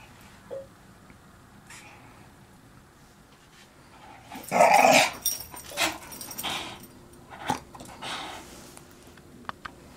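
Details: Young English Staffordshire Bull Terrier, torn over whether to play ball, gives one loud, harsh bark-like burst midway, followed by several shorter, rough, growly huffs amid quiet pauses.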